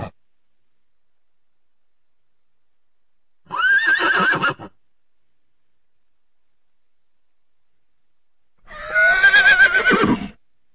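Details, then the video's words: Horse giving two separate whinnies several seconds apart, each a loud, shaky neigh with a high wavering tone and a trembling rhythm, separated by silence. "horse sounds"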